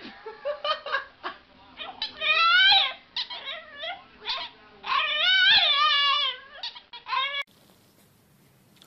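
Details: A pet dog vocalizes indoors in a string of short, bending whines and yelps, pitch sliding up and down, two longer louder phrases in the middle, then near silence at the end.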